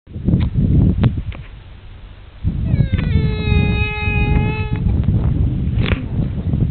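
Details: Young camel crying: one drawn-out, steady, nasal moaning note held about two seconds, rich in overtones, set among heavy low rumbling wind or handling noise and a few sharp clicks.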